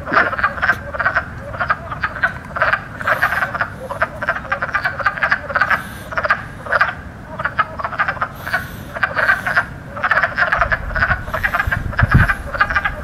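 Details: Many spring wood frogs croaking together, air sacs near the lungs inflating to add power; dense, continuous clucking chatter with scattered higher chirps from other calls and a low thump near the end.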